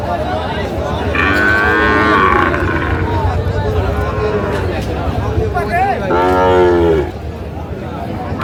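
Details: Young Sahiwal breed bull at a crowded livestock market in Comilla, Bangladesh, 10 May 2025: two loud, throaty moos, the first lasting over a second, the second coming about four seconds later, amid constant crowd noise and voices.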